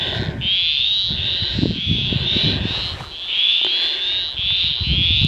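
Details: Frogs croaking around remote rock pools near Tocumwal, New South Wales, recorded on a compact camera: a chorus of short rasping notes repeated roughly eight times in five seconds, over low rumbling wind or vehicle noise.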